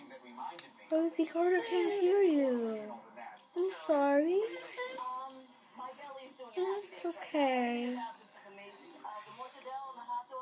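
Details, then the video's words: Beagle named Rosie tries to talk on seeing another dog, producing a string of wavering, yodel-like whines and moans that bend up and down, several short bursts with pauses, in a quiet indoor room. "Rosie the beagle makes funny noises and tries to talk"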